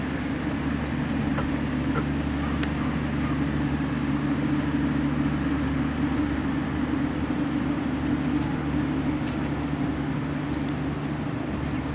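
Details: A steady low rumble and broad hiss, like vehicle or machinery noise, fills the recording with no animal calls.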